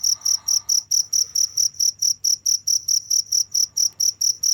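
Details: Rapid, evenly spaced cricket chirps, high and piercing, about four per second in an unbroken run, over a quiet low hum.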